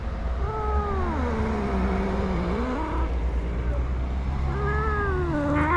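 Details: Stray tabby male cat vocalising when touched, giving a long sliding meow that dips low and drags on, then a second rising-and-falling meow, all under constant low rumbling traffic or engine noise.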